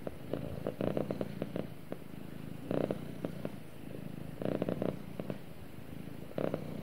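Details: A cat cuddling with its owner purrs softly: a quiet low hum that swells into short rhythmic bursts at irregular intervals, with faint handling noises.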